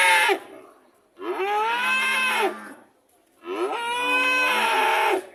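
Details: Repeated cow mooing: a brief tail of one call, then two long, loud bellows of over a second each, separated by about a second of silence, bright and harsh-edged.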